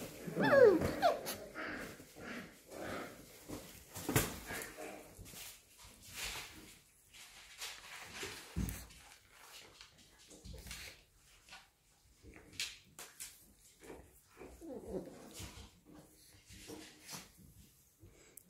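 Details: Six-week-old puppies indoors give a loud, rising, whining yelp at the start, then scattered soft whimpers and a second whine burst near the fifteenth second, amid shuffling, light knocks and quiet human voices.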